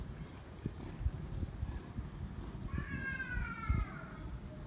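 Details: Friendly feral cat wanting affection and not wanting a person to leave: a single drawn-out, slightly wavering meow near the end, over low rumbling background noise and soft thumps.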